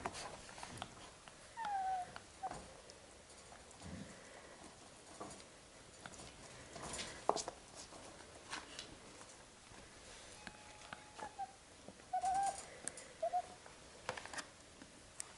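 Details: Labrador Retriever puppies getting used to an indoor kennel, 8 June 2015: brief high whimpering whines near the start and twice more toward the end, between rustling, scratching and knocking sounds in a small room.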